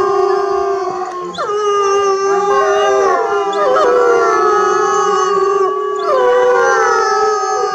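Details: Several timber wolves (gray wolf, Canis lupus) at Asahiyama Zoo howl together in long, overlapping tones that slide and waver.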